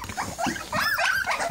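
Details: Young English Springer Spaniel puppies at a feeding of puppy mash and replacement milk give short squealing whines that waver up and down, with eating noises beneath.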